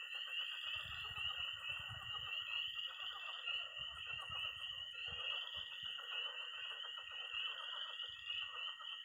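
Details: Early spring pond at night in Missouri, where peeping tree frogs, croaking pond frogs and trilling toads call together; a continuous shrill peeping band rides above dense rattling croaks, with soft low rumbles in the first half.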